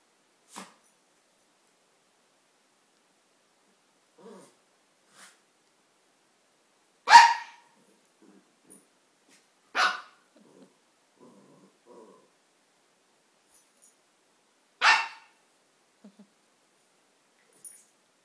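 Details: Single loud barks from a Maltese dog playing with a Siamese cat, spaced roughly three and five seconds apart, with faint soft huffs and scuffling in between.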